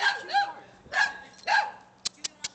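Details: Two-month-old Boxer puppy playing and attacking a person: three short yappy barks with whiny overtones about half a second apart, followed by a few sharp clicks.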